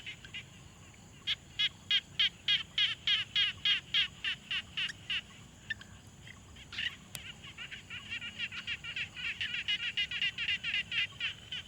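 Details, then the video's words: Frogs at a quiet pond, field-recorded on a Tascam Portacapture X6: a run of sharp, evenly spaced clicking notes, about three or four a second, fades out, then a second, denser and softer series of rapid pulsed notes follows. "Frog Sounds"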